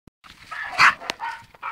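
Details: Patterdale Terrier and Jack Terrier puppies at play, giving short, high, whiny yelps with a sharper squeal near the middle and a single click-like tap.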